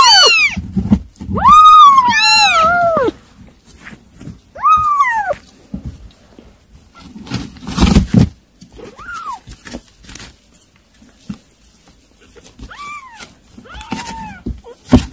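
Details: Kittens eating weaning food: loud overlapping meows open the scene. Fainter, shorter meows follow, mixed with clattering and thumps from the feeding.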